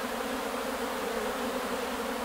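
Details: Carpathian honey bees swarming out on 8 May 2020: a thick, continuous buzzing drone of many bees, even in loudness over this short stretch.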